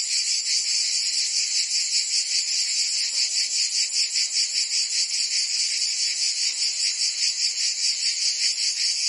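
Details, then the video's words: Provençal summer cicadas in full song, France: an intense, rasping high buzz pulsing in regular waves roughly every 0.4 seconds, steady from start to finish with nothing else audible. "Cicadas singing in France (Provence)"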